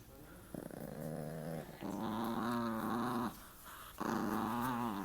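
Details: Quieter, rumbling, warbling moans from a dog during rough play with its owner, three long sustained vocalizations rising and falling slightly in pitch, separated by short pauses.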